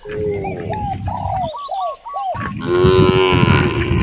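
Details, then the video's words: Hungry cows in a village beside vast rice fields; a loud, rich, drawn-out moo fills the second half, after a stretch of repeated arched bird calls and chirps. "The sound of hungry cows mooing towards the vast rice fields"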